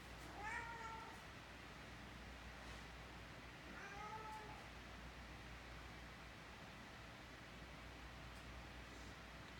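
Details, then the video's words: Indoors, Abbie the cat shares a nose-to-nose lovefest with Mikey, a six-month-old Great Dane puppy; two faint short meows about three seconds apart over a steady low hum, the rest quiet. "Talkative Cat"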